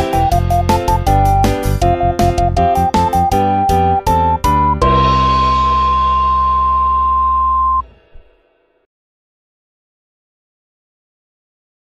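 A short keyboard melody plays, ending on a long sustained note, with no animal sounds.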